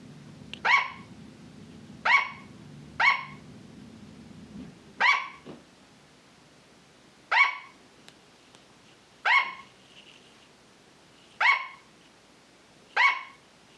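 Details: A pet sugar glider (Petaurus breviceps) gives short, sharp, high yapping barks, spaced one to two seconds apart.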